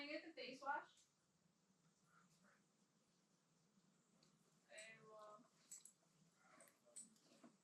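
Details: Siberian Huskies Timber and Titan play-wrestling indoors on the floor, Timber talking in his low-pitched voice: a short harmonic moaning burst opens, then quiet rustling, then further brief groaning vocal sounds near the end.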